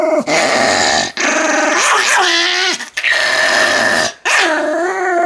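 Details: Pomeranian dog giving drawn-out, wavering whines and howl-like yowls with bright harmonic tones, several long cries broken by brief pauses over five seconds.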